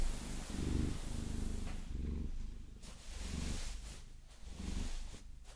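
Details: Maine Coon Vasilisa purring during a long-nail massage, a steady, vibrating low rumble rising and falling with each breath, with soft scratching textures over the top.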